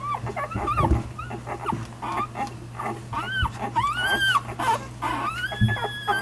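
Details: One-week-old nursing puppies whimper and squeal in short rising-falling whines, several overlapping, over a steady low hum.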